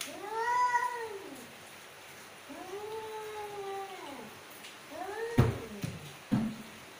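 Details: Mother cat, angry, producing three loud drawn-out wailing yowls that rise and sink in long arcs, followed by sharp knocks and thumps near the end.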